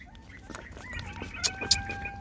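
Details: Scene of mama GiGi nursing a litter of six puppies: wavering tonal whines that bend up and down, then settle into a long steady cry, over faint tapping and handling noise.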